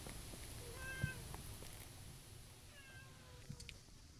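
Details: Stray tortoiseshell cat that dashed out meowing, as a ginger tabby was also present: two drawn-out, slightly bending meows about two seconds apart, over a steady low outdoor rumble with a faint high whine.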